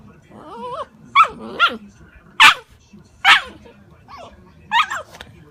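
An Alaskan Malamute puppy gives wavering, yodel-like whines and yelps in short bursts while a person says no.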